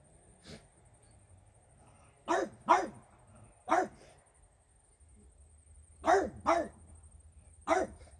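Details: French Bulldog named Regis barking at fairies, short sharp barks given singly and in quick pairs, about seven across the stretch with quiet gaps between, a faint steady high hum in the background.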